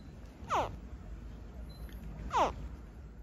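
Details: A saltwater crocodile hatchling, hatched on a farm, gives two brief, squeaky, toy-like chirps that drop sharply in pitch, nearly two seconds apart.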